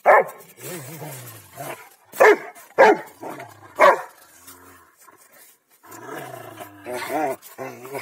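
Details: Two Rottweilers, Malysh and Sam, playing king of the hill: deep rumbling growls broken by several sharp bark bursts, some harmonic whining growls near the end, and a human voice at times.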